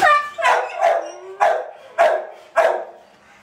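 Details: Chloe, a pet dog, barking in five sharp, loud bursts about half a second apart, each bark broad and harsh with a tonal core, one short whine slide between them, quiet background.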